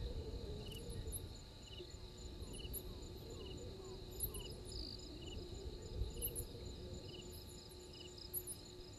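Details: Insects at night, 03:44 on 12/04/21, at Gowrie dam in Djuma Game Reserve, Sabi Sand Wildtuin, South Africa: repeated high chirps about every second over a constant shrill drone, with scattered sharp high ticks and a low rumbling background.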